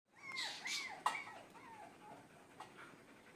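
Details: Black German Shepherd puppy whimpering: a few thin, wavering whines that slide downward, packed into about three seconds, with a soft click between them in a quiet indoor setting.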